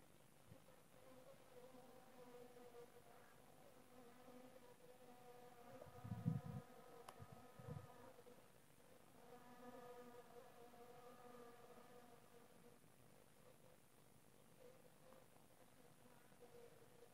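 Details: Honey bees buzzing steadily, a low droning hum with a few louder close passes near six and eight seconds, otherwise an even, continuous tone throughout.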